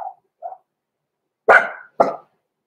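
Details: Blenheim Cavalier King Charles Spaniel puppies Roman and Blue, six weeks old, in an indoor home puppy pen: two soft little yips, then two sharp, loud barks about half a second apart, each fading quickly.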